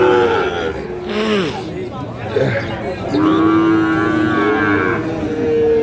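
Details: Sahiwal bull calves at Ambari market in Parbatipur, Dinajpur, Bangladesh, recorded 9 February 2026: several drawn-out moos with steady harmonic tones, one bending downward, amid crowd chatter and market noise.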